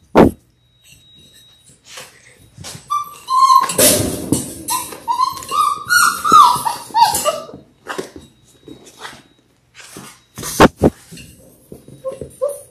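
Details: Labrador Retriever puppies, six weeks old, part of a litter of six born January 18, 2022, indoors on a puppy cam; a run of high whining whimpers and yips with rising and falling tones, mixed with rustling and thumps of moving pups.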